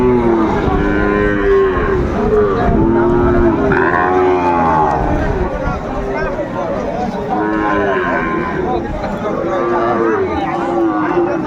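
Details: Calves of the Sahiwal breed at Aftabganj market, Kurigram, Bangladesh, Saturday 27 July 2024, moo again and again, drawn-out harmonic bellows roughly every two seconds from several animals amid constant market hubbub.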